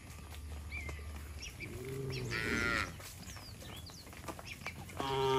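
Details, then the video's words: Tame cattle walking home to their shed, calling one another: a muffled low moo followed by a brighter harmonic moo starting at the end, over low rumbling and chirping birds in the background. "Suara sapi Moo memanggil temannya"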